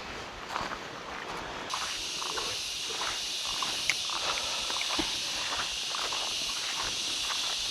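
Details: Crickets along a muddy 4x4 trail on Mt. Pinatubo in the rainy season, the only sound heard there. A steady, high-pitched, continuous buzzing chorus swells in after about two seconds, with scattered footsteps and light clicks underneath.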